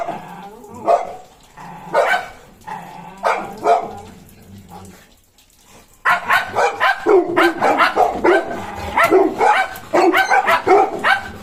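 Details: Golden Retriever puppy following a German Shepherd around; spaced single barks give way to a brief quiet spell, then a rapid, excited run of sharp barks packed closely together.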